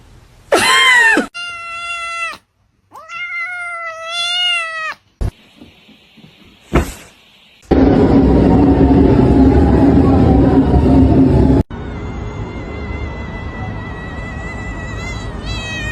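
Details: Domestic cat in a funny pet compilation giving two loud, drawn-out meows that rise and fall, each about a second long. Abrupt cuts follow to short clicks, a burst of rushing noise and a thin, steady background tone.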